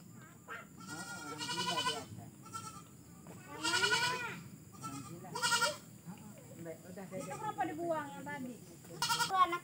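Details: Goats at a pen beside a grandmother's house set in a village garden amid forest, with cattle kept nearby. A few wavering, harmonic bleats come several seconds apart, mixed with talking and faint background noise.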